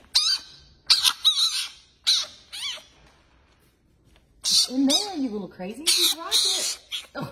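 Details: Fennec fox making strange, crazy noises: bursts of sharp squealing chirps and wavering yelps, some in quick runs, with a quiet pause in the middle and a few low warbling cries.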